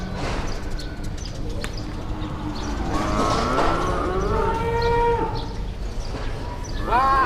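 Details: Big cattle at an Indonesian livestock market in early morning, drawing a crowd; a rising, harmonic moo builds midway and a further bellow starts at the end, with voices and market noise throughout.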